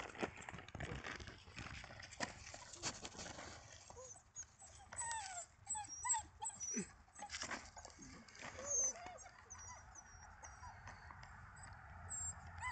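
Weimaraner puppies whimper and squeal in thin, rising and falling cries, with scattered clicks and shuffling.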